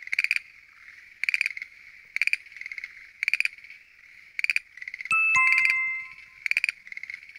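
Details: Schlegel's green tree frogs call at night in a noisy chorus from a lotus pond, giving short, rattling pulsed bursts repeated about once a second.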